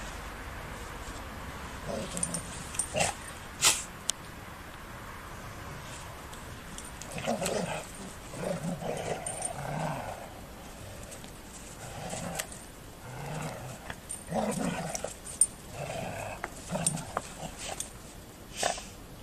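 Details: Golden Retrievers playfighting: rough, throaty growls come in uneven bursts every second or two, with short pauses between them and a few sharp clicks or knocks in the background.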